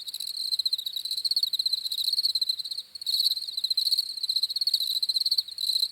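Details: Cricket chirps come as rapid pulsed trills in bursts about a second long, rising and fading with short gaps near the three-second mark; steady high-pitched buzz throughout, nothing else audible.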